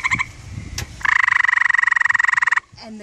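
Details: A gray treefrog on a deck in Vermont answers a gray treefrog mating call played from a phone, giving a musical, rapidly pulsed trill lasting about a second and a half, apparently wanting to mate.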